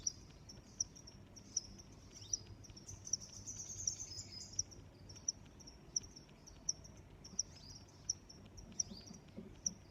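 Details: A high cricket chirp pulses on without stopping, mixed with a few quick sliding chirps and regular sharp clicks about every three-quarters of a second over quiet outdoor noise.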